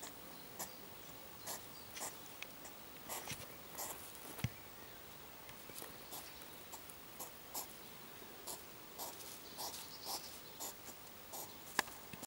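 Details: A hedgehog gives soft, breathy snuffles and clicks in short noisy bursts repeated irregularly, recorded 18 June 2014 around 7:05.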